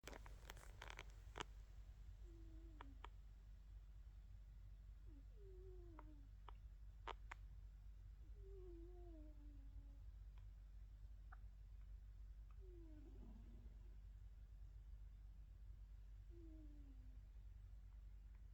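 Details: Grumbles, a pet cat, snoring indoors: soft, descending whistled tones repeat every two to three seconds over a steady low rumble, with a few faint clicks near the start.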